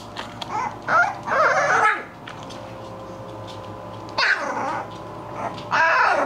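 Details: Playing English Bulldog puppies let out bursts of high, harsh yapping barks and squeals in three clusters, with a quiet gap of about two seconds in the middle and a low hum beneath.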